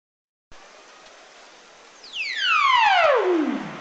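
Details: Ribbon seal vocalizing underwater, recorded by hydrophone in Alaska: one long, harmonic downsweep sliding from a high whistle to a low moan.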